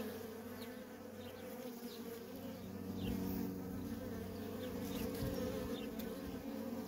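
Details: Constant buzz of worker honey bees at a wild feral colony, the drone swelling louder midway as more bees pass close, with faint quick whines of individual fliers above.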